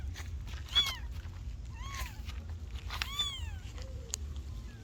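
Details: Kittens meowing: three high, arched meows, each rising then falling with bright overtones, about a second apart, over a steady low rumble and a sharp click near the end.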